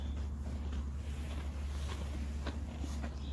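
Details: Steady low rumbling hum with faint scattered clicks and soft footstep-like sounds, no animal calls audible.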